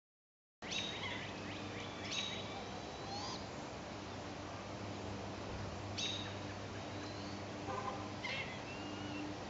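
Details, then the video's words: A squirrel in a backyard in Fairway, Kansas gives sharp, high chirps in short bursts a few seconds apart over a steady hum; the sound is the squirrel, not the nearby barred owl and owlet. "There's a squirrel that's making that sound. It's not the owl."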